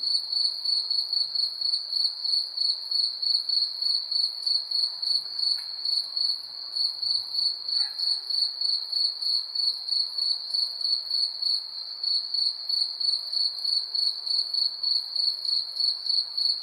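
Crickets chirp steadily at night, a high, even trill pulsing several times a second.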